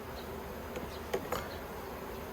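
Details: Honey bee colony at a yellow hive in Australia, 9 October 2021, during work on plastic frames: an even, low buzzing drone broken by two brief knocks.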